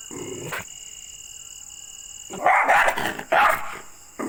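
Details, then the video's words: Aggressive dog, described as angry, gives a short low rumble, then two loud, rough barks about a second apart, with a constant thin electrical hum in the background. "ANGRY Dogs Barking Sound Effects (Aggressive Dogs Barking)"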